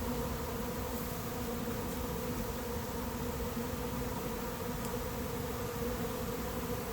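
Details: Honey bees of a late-season swarm filling the air as they move into an empty hive; continuous thick humming buzz, even in loudness, a clear droning band running the whole way through.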